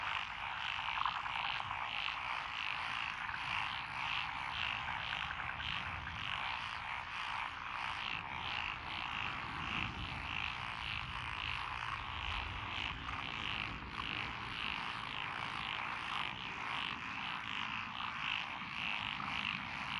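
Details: Lotus rice paddies on a country road in Echizen, Fukui Prefecture, Japan, 12 June 2021, alive with calling tree frogs, pond frogs and wrinkled frogs. Thick chorus of rapid, ratcheting croaks throughout; a low rumble swells midway, around ten to thirteen seconds.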